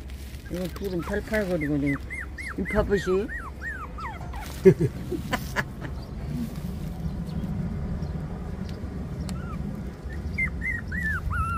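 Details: Young puppies, 24 days after birth, whine in bursts of high, bending cries at the start, go quiet through the middle over a low hum, then return with a few faint rising whines near the end.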